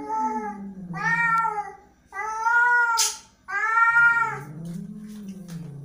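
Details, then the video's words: Angry house cat with three loud, drawn-out meows about a second long each, bending slightly up then down, separated by short pauses, with a low moaning growl at the start and end. "angry cat"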